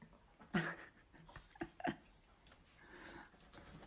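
A Yorkshire Terrier snores softly, with a rough nasal snort followed by quieter, breathy rasps.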